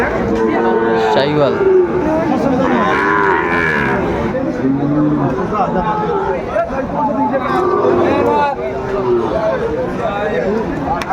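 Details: Sahiwal bull calves are bought and sold at a Bangladeshi cattle market in Cumilla on a July 2024 Saturday. Many calves moo with overlapping, wavering bellows, while people chatter loudly in the background.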